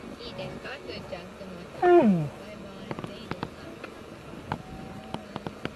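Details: Asian black bear (Ursus thibetanus) letting out one short, loud wail that slides steeply downward, followed by scattered sharp clicks and taps.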